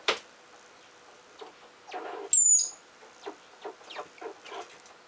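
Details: Fighting while excavating, a Richardson's ground squirrel lets out a single sharp, high-pitched whistle dropping a little in pitch, set among repeated gritty scratches and thumps of dirt.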